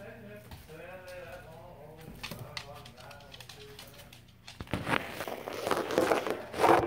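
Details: Guinea pigs calling indoors: a run of rising-and-falling wheeking squeals with stacked harmonics over the first two seconds, a shorter squeak near 2.6 seconds, then clattering and rustling handling noise with voices taking over the second half.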